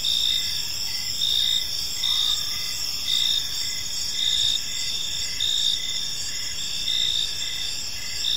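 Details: Crickets in an evening park chirping in a shrill, sustained chorus, steady pulses of chirps recurring about every second above a low, even background of ambient noise.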